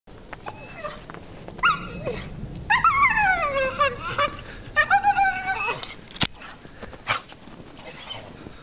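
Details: Dog climbing a tree in a home yard, a habit of hers, giving what the owner calls monkey noises: high, wavering, harmonic whines and yelps in short bursts, with a sharp click and rustling branches between calls.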